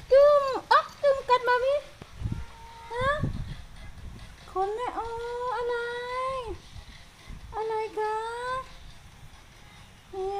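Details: A pet cat named Sky, affectionately begging for attention, makes a string of meows. Short sharp cries come first, then longer curving, slightly whiny calls, with a few soft thumps and handling noises in between.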